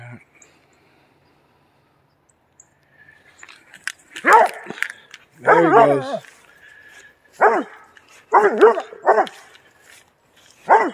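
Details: Doberman Pinscher barking at about three deer in upstate New York: a run of loud, harsh barks in short bursts, some doubled, after a quiet start, with a man speaking calmly nearby.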